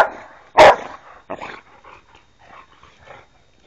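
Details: Three Boxer dogs at rough play: one loud, short bark, then a softer gruff growl and a trail of low grumbles and snuffling noises that fade away.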